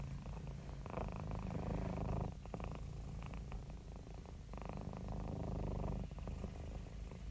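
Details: A happy domestic cat purrs steadily, a low rumbling vibration that swells and eases with each breath.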